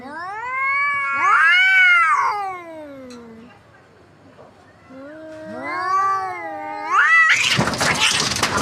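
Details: Two domestic cats fighting on a tin roof, one then falling off: loud wavering caterwauls rising and falling, a pause, another surging yowl, then a burst of harsh scuffling noise at the end.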